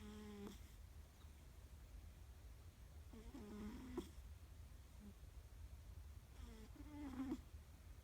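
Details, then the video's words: Hook, a three-legged pet cat, snoring comfortably: soft nasal, whistly snores with layered overtones, each breath lasting about half a second and recurring roughly every three seconds over a quiet low hum. "Hook the three legged cat snoring"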